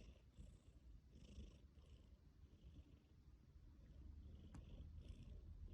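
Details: Tabby cat named Mikki purring in its sleep: a dense, steady low rumble with faint breathy swells and one short click, followed by a spoken Korean request to sit.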